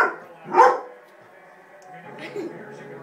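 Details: Dog barking at a baby seat: a single loud, abrupt bark near the start, followed by quiet background murmur and a person's voice urging the dog on.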